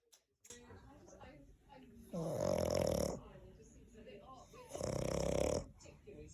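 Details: A sleeping French Bulldog snoring like a human. Two loud, raspy, rumbling snores about two and a half seconds apart, each lasting under a second, with softer wheezy breathing in between.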